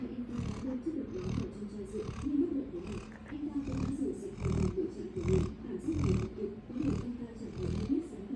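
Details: Sleeping Labrador Retriever giving gravelly snores, a quick uneven series of grunting, rattling breaths, about one each second, swelling and fading in loudness.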